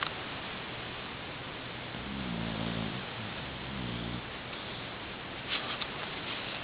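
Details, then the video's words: A nine-month-old Boxer puppy asleep on a pillow, two soft, low rumbling snores against steady background hiss, with a faint higher sound near the end. "Boxer Puppy Snoring"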